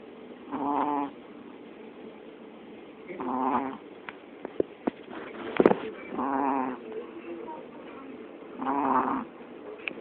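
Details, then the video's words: Snoring from a pet dog: four nasal, rumbling, faintly whistled snores arriving about every two and a half to three seconds, broken up by a few sharp clicks and small taps in the room. "Snoring dog"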